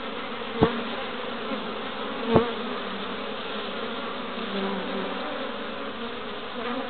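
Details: Honey bees (Apis mellifera) crowding a hive entrance in Pembrokeshire, west Wales, March 2012, carrying orange, yellow and white pollen; even massed humming broken by two sharp knocks, plus occasional louder fly-by drones.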